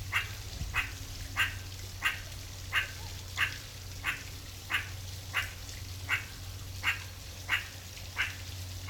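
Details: A meerkat (Suricata suricatta) in the wild gives short, sharp chirps repeated steadily, roughly one and a half per second.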